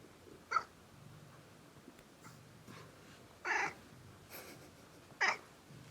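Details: Massaged house cat groaning with pleasure: three short, breathy, harmonic vocal bursts a few seconds apart, the middle one the longest and roughest, over low handling rustle.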